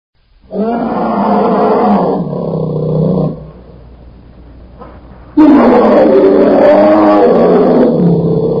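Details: A bear gives loud, deep, rasping roars in two long bursts separated by a brief quiet gap, after failing to catch a fish.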